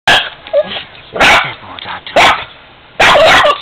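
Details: Female Boston Terrier reacting to a 45-year-old piggy bank she dislikes: four loud, harsh, noisy barks spaced about a second apart, with a person's voice faintly between them.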